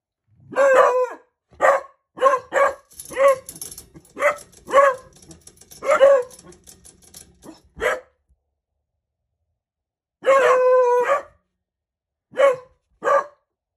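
A young Beagle gives clipped, tuneful barks and bays, then a longer, steady howl.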